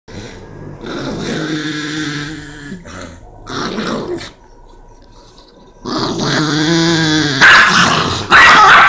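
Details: A Chihuahua and a Rottweiler face each other; long, tonal growling grumbles with wavering harmonics come in three drawn-out bouts separated by quiet pauses, the last rising into a louder, harsher snarl.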